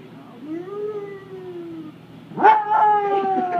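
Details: Basset Hound 'singing' to diners in an Oregon restaurant: a smooth howl rising then holding and falling, followed by a louder, higher, wavering howl with rich overtones, Spanish speech close by.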